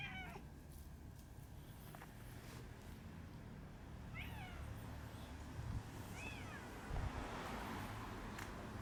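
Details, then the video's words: Outdoor cats in a park during a feud between an old cat family and young red tabby brothers; short rising-falling meows near the start and again around four and six seconds, over steady low background rumble. "仁義なき公園猫ファミリー同士の抗争 The war between the old cat family and The red tabby brothers"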